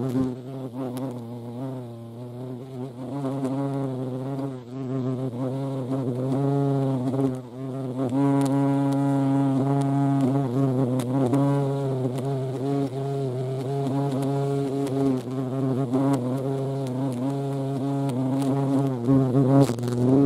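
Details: European hornet (Vespa crabro) at a feeding place: a steady, low, droning buzz that runs throughout, its tone wavering and shifting slightly as the insect moves about, with no other clear sounds.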